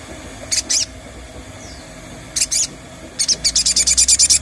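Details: Treeshrew (sogon) lure call meant to make the animal call and go wild: high, squeaky paired chirp bursts, a pause, another pair, then a fast run of about a dozen sharp clicky squeaks, over steady low background hum.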